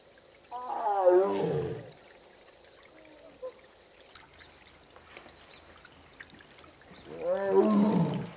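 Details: Korean tiger siblings separated during the female's heat: Mugung gives two long, sliding moaning calls several seconds apart, with soft, low, rhythmic thumping between them, as her brother Beom, heard from afar, knocks on the door in answer.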